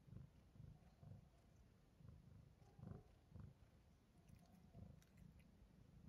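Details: British Shorthair cat named Pablo, born May 2023, purring as he wakes and eats; steady low purr pulsing roughly twice a second, each breath-cycle a soft rumbling burst, with a few light clicks in the background.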